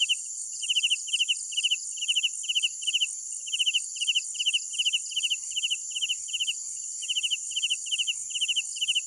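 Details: Night crickets: a regular series of bright pulsed chirps, each three to four rapid pulses, coming about two and a half times per second, atop a dense high-pitched background drone of insects.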